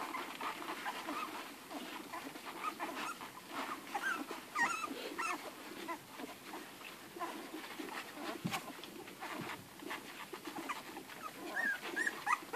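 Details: A litter of eleven Irish Red and White Setter puppies feeding hungrily from Ruby, their dam. Continuous suckling and smacking noises, with occasional thin whimpers and squeals and one sharp click near the middle.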